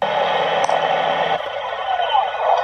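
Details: Humpback whale sounds, muffled and speech-like, with warbling, sliding tones at the tempo and frequency range of human talk, perhaps an attempt to make human-like sounds.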